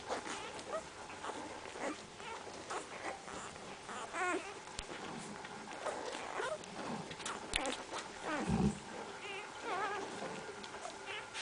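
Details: Central Asian Shepherd Dog puppies whimpering: a few thin, wavering whines spread over several seconds, with one short low grunt and scattered rustling and handling noise.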